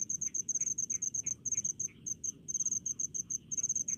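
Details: Rice-field crickets produce bursts of sharp, high pulses in quick clusters separated by short gaps, with softer lower chirps between them and little other sound.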